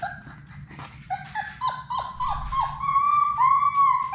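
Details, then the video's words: Indoor playroom with six Labrador Retriever puppies at play: short high yips quickly build into a steady, drawn-out whine with downward-bending notes, growing louder toward the end. "Labrador puppies at play!"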